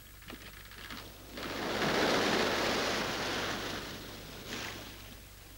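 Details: Broad hissing rush like rain or surf, swelling in the middle and fading, with no animal voice heard.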